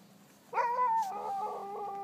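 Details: A sled dog in Kulusuk, East Greenland, in summer gives a sustained howl that holds steady, then dips and wavers.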